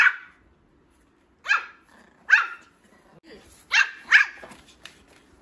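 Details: A young male Pomeranian puppy, just beginning to bark, lets out five short, high yappy barks spaced irregularly over a few seconds, with quiet pauses in between.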